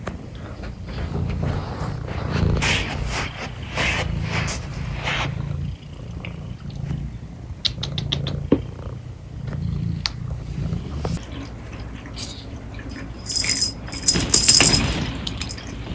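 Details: Male cat recovering from fire pit burns purring steadily: a low, continuous rumbling hum with a rapid pulsing rhythm, joined by rustling and scattered clicks and bumps nearby.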